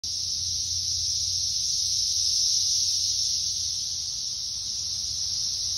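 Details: Brood X periodical cicadas "singing" in woods fill the air with a loud, steady, high-pitched droning buzz that never lets up.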